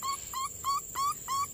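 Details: Puppy, one of a litter of four in various colours found with their mother in a garden next to a house. Five short, tonal whimpering cries, each slightly rising, repeat about every third of a second over a steady high-pitched background whine.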